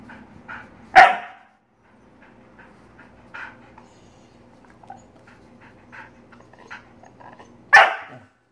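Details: Jenna, a Siberian Husky, confronted by a hand spider: one loud bark, then nearly seven seconds of faint clicks and shuffling, then a second forceful bark.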